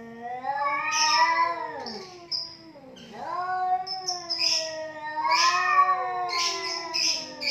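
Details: Pair of cats in a fight trading drawn-out yowls, pitch sliding up and down in long wavering wails, a deep dip near the middle, with breathy hiss-like bursts layered over the howling.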